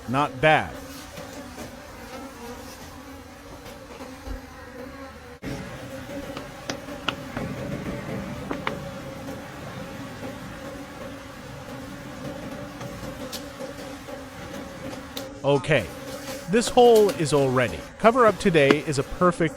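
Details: Forest wild bees droning at a late-season honeycomb harvest: a steady low hum with an upper overtone persists through the middle, scattered clicks and taps over it, with human speech at the start and again in the final seconds.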